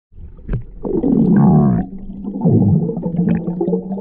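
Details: A Galapagos sea lion (Zalophus wollebaeki) gives a deep, rough, drawn-out bellowing call.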